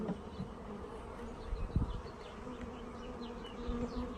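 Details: Honey bees in a newly arrived package during installation into a hive, low steady droning hum with soft harmonic layers, broken by a few handling thumps and knocks.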